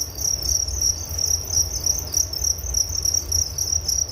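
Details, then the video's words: Sleep-relaxation recording of crickets, their shrill chirps pulsing rapidly at about 200 per minute in a continuous high band, with a soft low rumble underneath. "Relaksasi Suara Jangkrik Penghantar tidur || Nature Sound of Crickets"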